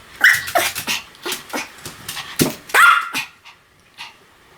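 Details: Pomeranian barking in a rapid series of about ten sharp, high yaps over four seconds, a couple ending in a brief rising whine, the barks thinning out and fading toward the end.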